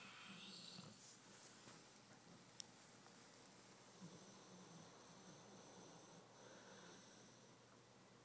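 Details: Flora, a large Dogo Argentino, snores while asleep and dreaming, with bouts of sleep running: soft, raspy breaths, one swelling in the first second and another near the fourth, over a quiet indoor background.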